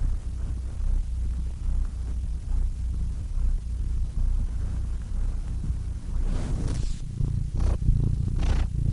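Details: Low, continuous cat purring hums through most of the stretch, with a few brief louder rustling bursts near the end.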